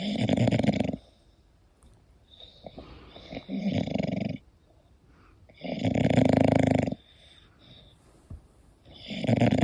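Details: Snoring from a sleeping pet English Bulldog called Koda, loud, rasping, pulsed snores recurring about every two and a half seconds, separated by lighter whistling breaths.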